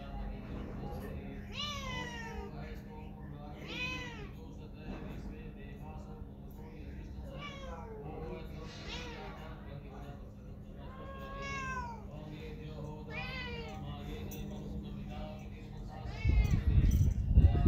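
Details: Pet cat meowing repeatedly, a string of rising-then-falling mewing calls roughly every two seconds, some short and some drawn out, over a steady low electrical hum, with a brief rattling noise at the end.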